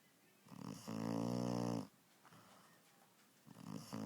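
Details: A puppy asleep indoors gives one loud, drawn-out rattling snore of about a second, followed by a soft inhalation and the start of another rough, buzzing snore.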